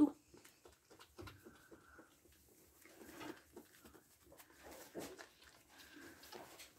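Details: Newborn goat kid, about two minutes old and thought to be female, being licked clean by its mother Viola at a goat farm in Pori, Finland; soft tonal bleats held briefly twice, with licking and rustling sounds indoors.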